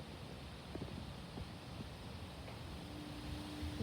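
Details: Outdoors after Hurricane Debby, only gusty wind buffeting the microphone and a low rumbling wash of noise are heard, with a faint steady hum near the end and no clear frog calls.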